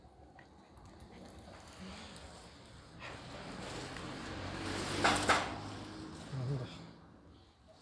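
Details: Friendly Shiba Inu named Chichi, kept near the Kanahama branch school in Aomori City, Aomori, Japan, in moulting season, sneezing after a head-and-neck petting and a body shake: one sharp, loud burst of air over a low, steady background hum.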